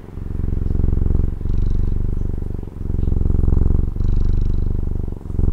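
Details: Low, rattling purr from a pet cat in Taiwan, heard up close, swelling and easing over four breaths about every 1.3 seconds with short breaks between them.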